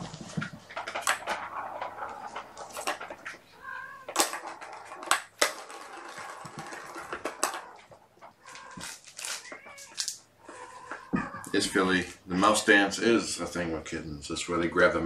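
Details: Mother cat Gamora, nursing five kittens born April 14, calls for her human babysitter indoors on a June 2018 morning. Scattered short mews give way to a run of harmonic, wavering meows in the final seconds, amid clicks and rustling.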